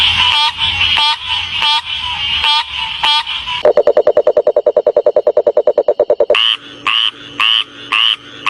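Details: Frogs calling: short, bright, buzzy notes repeated irregularly, then a fast rattling trill of even pulses lasting nearly three seconds, followed by evenly spaced clipped croaks about half a second apart.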